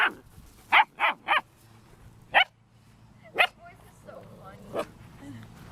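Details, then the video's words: German Shepherd dog barking: three sharp barks in quick succession, then single loud barks spaced about a second apart, with a faint voice and some low background hum between them. "GERMAN SHEPHERD Sounds for Kids - Barking, Howling, Breathing Sounds of German Shepherd Dogs"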